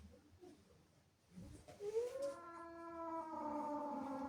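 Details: Domestic female cat, angry and jealous of kittens that entered the house, gives a long rising then steady harmonic yowl after a quiet start, indoors.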